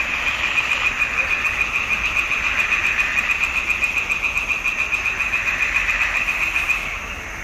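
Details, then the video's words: Frogs singing in a swamp pond in June 2021, a fast, evenly pulsed high trill repeating several times a second, with more frogs rasping softly behind; it drops away near the end. "Il canto delle rane in palude"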